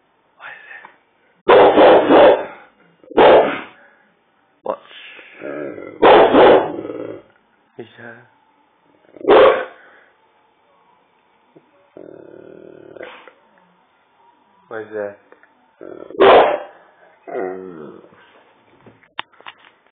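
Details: Pet dog going mad and barking indoors: loud, harsh barks in irregular bursts, several close together early on, with quieter whines and other household sounds between them.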